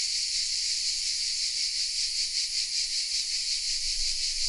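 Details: Hidden cicadas singing in the oak trees of Vézénobres, south of France, on a Sony RX10 M3 recording: a bright, hiss-like wall of buzzing, rising and falling in fast regular surges, nearly nothing else audible.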